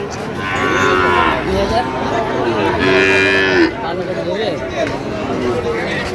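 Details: Sahiwal bull calves at a cattle market where a Dhaka farmer is buying, 22 September 2025; two drawn-out, nasal moos a couple of seconds apart over steady crowd chatter and bargaining voices.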